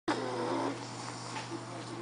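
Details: Lilly, an Olde English Bulldog, snoring: one sustained, raspy, breathy rush with faint tonal buzzing underneath, holding steady for about two seconds before easing off slightly.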